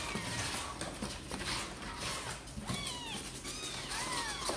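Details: Kittens of Sor and Kapov, seemingly eager to come out and play, give two thin, high, arching meows late on, over steady background hiss and low indoor rumble.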